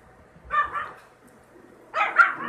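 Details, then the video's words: Yorkshire Terrier puppies, a litter of two males and two females, giving short yappy barks: a pair of quick yips, a pause of over a second, then a louder burst of overlapping barks. "Yorkie puppies"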